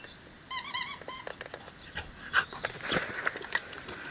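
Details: Female Cane Corso puppy Lucresia, eleven weeks old, offspring of Bonita and Paolo: a brief burst of high, wavering, squeaky whines early on, then scattered tapping, clicking and rustling noises indoors.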